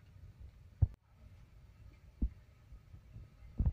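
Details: Near silence in a small room, broken by three dull low thumps, without any audible buzzing or other animal sound.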